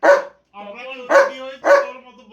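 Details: A pet German Shepherd barks three times at roughly half-second gaps, each bark short and coarse, while a person speaks in Bengali between and over the barks.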